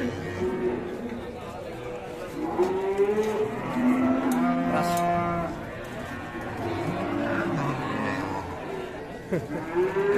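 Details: Fierce cow repeatedly lowing, a string of moos rising and falling in pitch at irregular intervals, some brief and some drawn out, over steady background noise.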